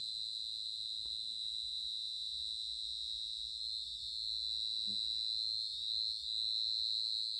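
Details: A large cricket in a village gives a steady, high, ringing trill without a break, stopping when approached closely.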